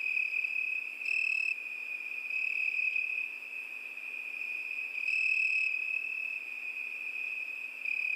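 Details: Cricket song on a summer night, a continuous high trill overlaid by short, louder, higher-pitched bursts from another caller, around four seconds apart, with a calm, still background.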